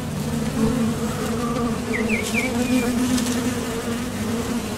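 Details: Continuous droning buzz of honeybees departing and landing at the entrance of a Top Bar Hive during nectar foraging, steady in pitch, with a short run of faint bird chirps midway.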